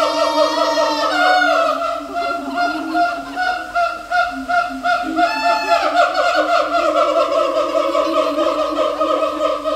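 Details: Siamang at Taipei Zoo producing loud, dense harmonic calls. A rising, wavering note opens the passage, and a second swelling note comes midway. Irregular barking pulses continue throughout.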